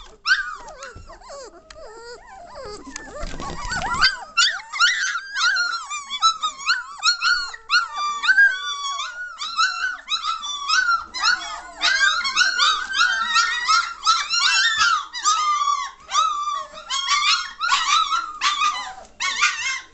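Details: Several German Shorthaired Pointer puppies, three weeks and one day old, growing lively and noisy indoors in May 2014; constant chorus of shrill squeaks and whimpers, rapid and overlapping, after a brief rustling thump near the start.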